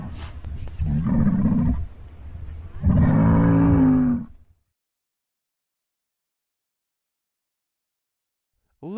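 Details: Muskox (Ovibos moschatus) bellow: two deep, rough, low roaring bursts with a rumbling, harmonic tone.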